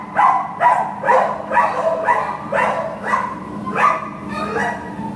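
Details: An adoptable American Pit Bull Terrier, recorded 15 September 2015, barks steadily and repetitively, roughly two rough, mid-pitched barks each second, with a faint low hum behind.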